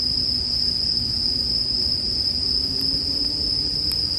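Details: Bell crickets ring continuously in a high, even tone while a bonfire crackles faintly, with a couple of sharp snaps near the end.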